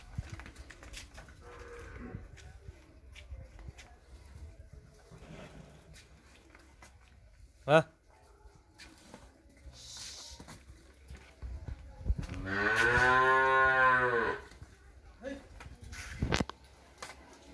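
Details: Friesian heifer calf offered for sale in Pabna, Bangladesh, giving one loud, drawn-out harmonic moo of about two seconds near the end, with people talking quietly, knocks and clicks around it.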